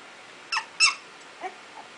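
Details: Playing two-week-old Icelandic Sheepdog puppies learning to bark give two sharp, high yips in quick succession, then a softer, lower squeak and a faint trailing whimper in a quiet room.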